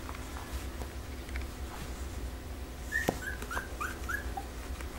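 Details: Pembroke Welsh Corgi pups from the Image Čičiko x Danny Toivu My Delight litter A. After a sharp knock, thin high squeals arrive in a short run of about six, each a brief falling squeak, over a steady low hum.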